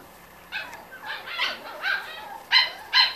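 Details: Six-week-old Corgi puppies from one litter give a run of high, whiny yelps and squeaks: about six short, harmonic cries in three seconds, the last two sharper and louder, over a quiet indoor background.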